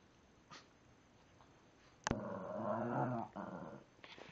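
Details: Shih Tzu indoors making a drawn-out, harmonic growling grumble for about a second while trying to get another Shih Tzu to play, preceded by a sharp click and followed by soft scattered noises.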